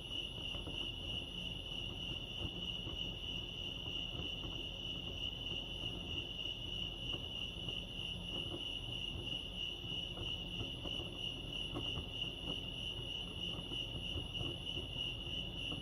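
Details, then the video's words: A California night-style chorus of crickets at Lake Arrowhead: uniform, high, fast-pulsing chirps continue the whole time above a gentle low-frequency background murmur. "Serenity sounds crickets chirping lake arrowhead"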